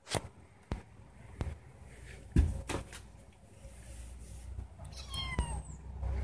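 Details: Female house cat kept indoors, meowing to be let outside; thumps, bumps and rustling fill most of the recording before a short, falling meow near the end over a noisy room background.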